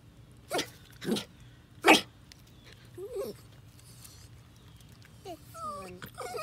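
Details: Jack Russell Terrier in a yard meeting baby ducklings on their first day out: three short, sharp barks in the first two seconds, then quiet, followed by high, bending peeps from the ducklings near the end.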